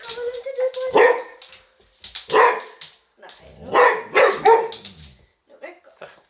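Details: Boxer household dogs barking as 10-week-old puppy Sammie meets a vacuum cleaner for the first time, with Boxer Rex, a Swedish male, coming to the rescue; tonal barks and yelps come in clusters near one, two-and-a-half and four seconds.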